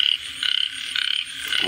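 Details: A frog calls in Cambodia, giving short, buzzy pulsed trills of about a quarter second, repeated in quick succession with brief pauses between bursts, over a faint background hiss.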